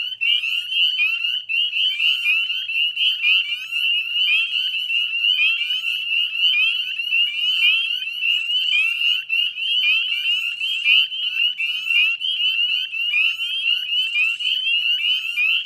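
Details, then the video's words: Dense chorus of northern spring peepers at dusk, mid-May 2020, beside the Chezzetcook salt marsh wetlands in Nova Scotia: countless short upslurred whistled peeps overlap into a steady piercing wall of sound, about one loud peep per second standing out. "Northern Spring Peeper Chorus"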